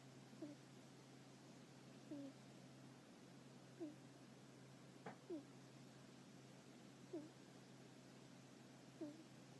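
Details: Sleeping hedgehog snoring, shifting and mumbling in its sleep as if dreaming; soft, short squeaky snores with a faint overtone come roughly every one and a half seconds, very quiet over a steady low hum.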